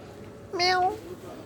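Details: Domestic cat giving a single clear meow indoors, a short tonal cry rising then falling, about half a second long, followed by a person speaking Hindi.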